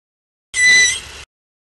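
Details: Manatee. A single manatee squeak lasts under a second: a clear, high, slightly whistled tone that holds steady, then fades a little before ending. Nothing else is heard around it.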